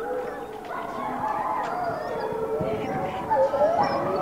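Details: Wolf pack howling in the background while one wolf greets her hand raisers; overlapping drawn-out tonal howls with wavering pitch, a rising note near the end, and human voices and rustling mixed in.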